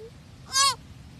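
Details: Young deer fawn giving a single short bleat, a nasal, harmonic-rich cry lasting about a third of a second that bends slightly down at the end, preceded by a faint brief tone, over a quiet, low background hum.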